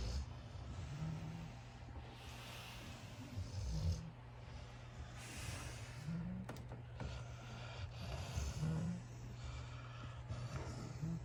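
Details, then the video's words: Sleeping puppy in a pile with his brothers, snoring: soft, low rasping snores that recur about every two to three seconds over a steady low electrical hum. "puppy falls asleep to his brothers soothing breathing. Loud puppy snoring"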